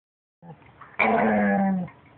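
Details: Pet puppy making weird noises as if trying to talk: after faint low murmurs, one drawn-out, steady, tonal whining moan lasting almost a second, rich in harmonics, indoors.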